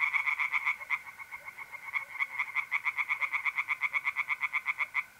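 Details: Night chorus of tree frogs in a north-east Italian pond in April, quick rattling croaks at roughly eight per second, two callers alternating and overlapping, with mole crickets trilling steadily in the background.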